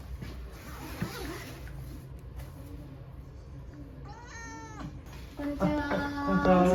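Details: Pet Munchkin cat brought to an animal hospital for a blood test utters a wavering, moaning meow, followed by louder harmonic cries overlapping people's voices in a small room.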